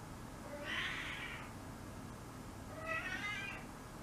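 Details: Five-month-old female kitten Nene in heat, calling at night indoors while awaiting spaying; two drawn-out, wavering meows about two seconds apart over a low steady room hum.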